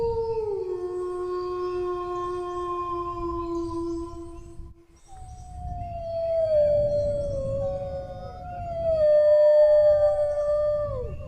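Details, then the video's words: Two dog howls separated by a brief silence near five seconds. The first is long and slowly falling. The second begins higher and wavers with small dips and slides, growing louder toward the end. A rumbling background accompanies both. "howling dog sounds, relax for sleep (เสียงหมาหอน)"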